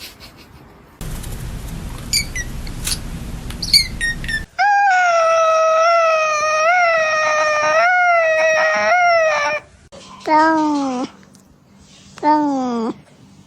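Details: Domestic cat making a strange, weird sound: a long, sustained, slightly wavering yowl lasting about five seconds, followed by two shorter falling cries, after noisy handling sounds and a person's voice.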